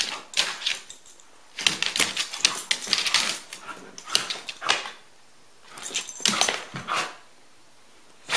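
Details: Rusty the dog playing with Elliott the corgi: harsh, noisy bursts of yips and rough barking come in clusters, with bouts of scuffling between them and a quiet pause late on before sound resumes.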